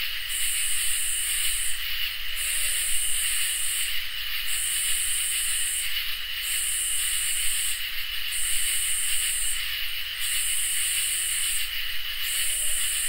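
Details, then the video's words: Crickets and katydids in a summer night chorus: a steady high shrill trill runs beneath loud, very high buzzy bursts that each last over a second and repeat about every two seconds, seven in all, with no other sounds. "Crickets and Katydids in Summer | Ambient Night Chorus"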